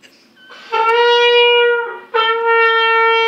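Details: Diablo, a dog learning to howl indoors, gives two long steady howls, each rich in overtones and sounding like a trumpet, the first lasting over a second, the second held after a brief break.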